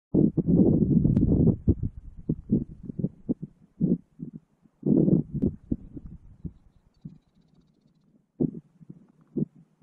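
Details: Two male Gunnison's prairie dogs disputing territory over a burrow holding an adult female during the April mating season, Valles Caldera National Preserve, New Mexico, filmed on a GoPro Hero 5: low grunting, chattering bursts in irregular rapid series.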